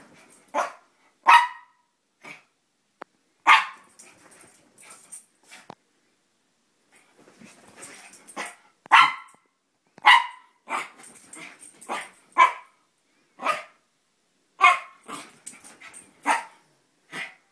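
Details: A female Italian Greyhound–Chihuahua mix, acting crazy and spinning on a bed, gives quick, yappy barks in uneven bursts, some clipped, some drawn out with a slight growly edge; a person calls her name near the end.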